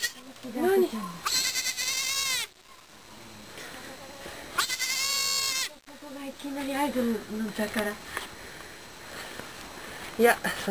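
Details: Newborn goat kid born in the Fukushima no-go zone, Japan, giving two strong quavering bleats of about a second each, between stretches of Japanese conversation and a brief squeaky sound near the end.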